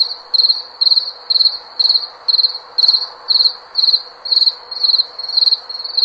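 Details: Shrill, high cricket song: evenly spaced chirps roughly twice a second, each built from a rapid string of clicks, over a quiet low background drone.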